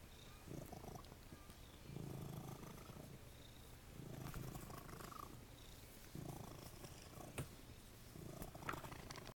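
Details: At The Cat House on the Kings, Jesse James the cat purrs in a low, steady rumble, rising and falling in waves roughly every two seconds, with a few faint clicks.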